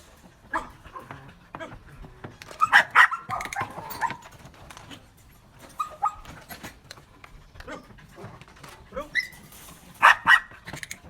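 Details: Belgian Malinois being trained to bark on command, recorded 4 February 2023; several sharp, loud barks arrive in scattered bursts, a double bark near the middle and another pair at the end, over low background noise and faint clicks.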